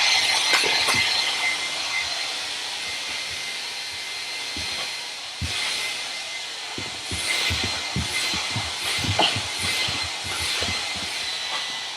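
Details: A steady, high hiss like a running hairdryer, broken by scattered clicks and knocks; no animal voices stand out.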